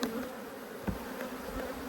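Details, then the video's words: Honey bees from a re-queened hive, cross at being inspected, give a short, steady low hum with a faint higher overtone. Brief clicks and knocks from frame handling sound over it. "When Bees Go Wild - Inspecting Two Angry Hives"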